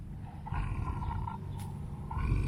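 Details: Elderly female white tiger at a big cat sanctuary, vocalizing while refusing chicken necks and mush; deep low rumbling with a faint tonal wavering layer over about two seconds, ending in a louder burst, with a keeper nearby.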